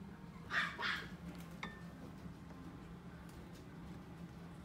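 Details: Pomeranian dog at a shop in Kakogawa giving two quick, high, sharp yaps close together near the start, then a faint click and quiet room noise with a steady low hum.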